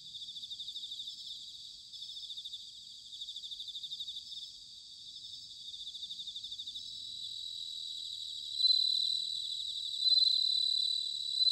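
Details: Bell crickets singing in autumn, Sanuki, Chiba Prefecture, Japan: steady, rapidly beating high trills in repeated phrases of about a second, rising to louder ringing bursts near the end over a quiet night-like background.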